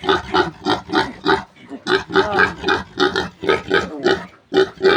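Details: Piglets being weaned from a new sow squeal while being cornered for capture: short, rough, broadband bursts repeated roughly every third of a second, with a brief pause near the middle.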